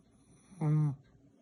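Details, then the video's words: Chihuahua named Morion, from Saint Petersburg, snoring in sweet sleep: one short, low, buzzy snore of about a third of a second with strong even overtones, set against a quiet indoor background. "храп сладкий сон чихуахуа"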